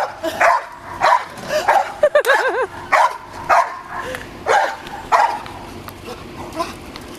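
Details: Several dogs playing with a balloon bark in quick succession, about a hundred barks a minute, with a brief wavering whine near the start.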